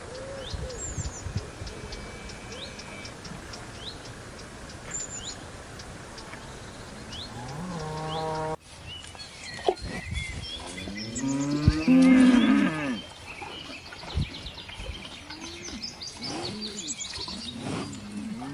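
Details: Cow lowing on a farm: after a short rising low groan, a loud drawn-out moo with layered harmonics swells and fades, with further grunting low notes. Crows caw and small birds chirp in the background.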